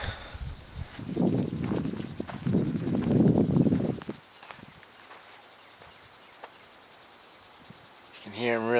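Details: A swamp cicada up in a tree in Seabranch State Park, Florida, sings a high, rattling buzz that pulses like a shaken maraca rather than a steady drone.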